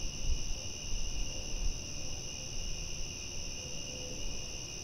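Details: At night a mass of crickets sustains a steady, ringing high-pitched trill, accompanied by low rumbling noise and a few dull bumps early on.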